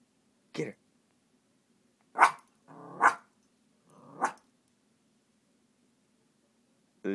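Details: Bailey, a pup, playfully attacking a frog slipper indoors: a few sharp yaps and rough growling bursts spaced one to two seconds apart, then a last yap after a short pause, amid urging human voices.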